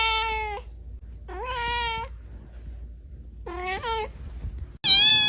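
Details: Domestic cat producing several meows, some rising then levelling, one with a wavering double inflection, ending in a louder, sharper high-pitched cry that cuts in abruptly.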